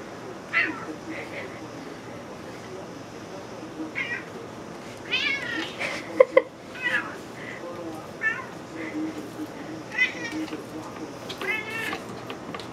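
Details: Juniper, a pet cat that smells salmon being cut and wants food, meows insistently indoors: a string of high, wavering meows, some rising then falling, repeated every second or two, with kitchen clatter and a person's voice nearby.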